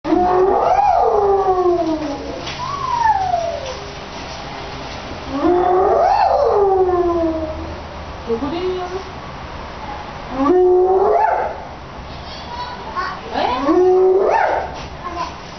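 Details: A spotted hyena named Ai at Tennoji Zoo gives loud, wavering calls that swoop up and down in bursts a few seconds apart.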